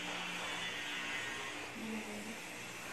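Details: Steady broadband engine-like roar fills the whole stretch, with a faint low tonal hum underneath.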